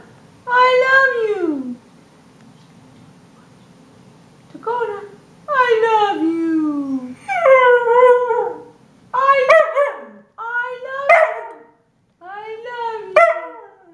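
A Siberian Husky gives drawn-out, word-like yowls that rise and fall in pitch, like a 'talking' dog.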